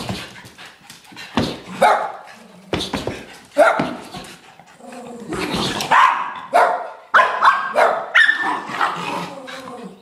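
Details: Two young dogs playing indoors, giving a string of short barks and yips at irregular intervals, some rising into higher whines, with voices in between.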